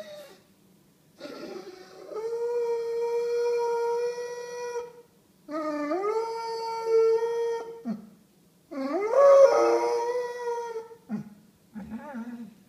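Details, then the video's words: A Basset Hound, protesting that it is time to go home as it always does, gives three long, mournful howls, each sliding up then holding a steady tone. "Alfie the singing Basset Hound! Home Time!"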